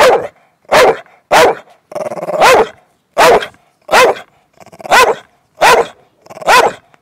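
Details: An old male Staffordshire Bull Terrier in the UK, holding his stone, gives a run of sharp, mid-pitched barks, urging someone to chase him in play.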